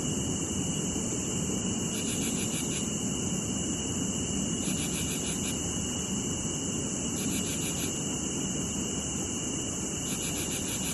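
Cicadas drone in a steady, high buzzing chorus, with louder pulsing bursts every two to three seconds.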